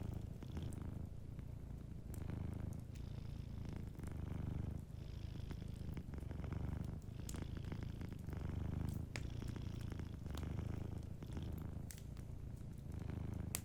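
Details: Sleeping cat purring softly by a fireplace: a steady low rumbling purr with pulsing breaths, faint crackles of the fire scattered over it.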